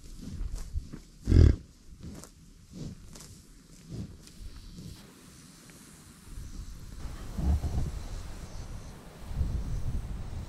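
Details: American bison at a buffalo ranch: one loud, deep, short grunting roar near the start, followed by softer low grunts and rumbles over quiet rural background.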